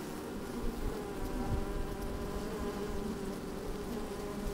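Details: Inside an opened beehive on a sunny, slightly windy day, honey bees keep up a dense continuous drone, a rich low hum with a wavering mid tone, plus soft rumbling from wind or movement.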